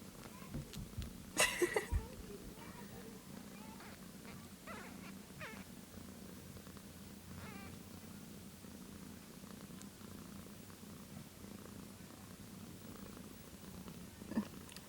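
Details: One-day-old kittens nursing and scrambling over each other; a sustained low purr fills the recording, with a loud rustle early on and faint squeaks scattered through.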